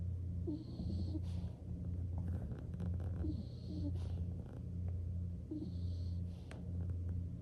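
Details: Nikko the skunk drifting off to sleep and snoring: a deep, low rumble pulsing roughly once per second in steady waves, with soft breathy hisses between some breaths.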